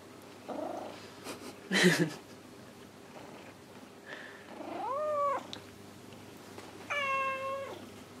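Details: Domestic cats Kuri and Gon indoors in the evening, one seeking affection while the other grooms; two drawn-out, bending meows follow some rustling and a short bump, with a quiet room hum underneath.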